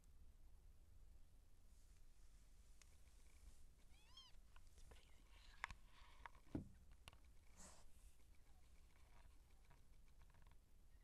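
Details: Siamese seal point queen giving birth to kittens: a single rising-and-falling harmonic meow midway, surrounded by soft rustles, a few sharp clicks and a steady low hum.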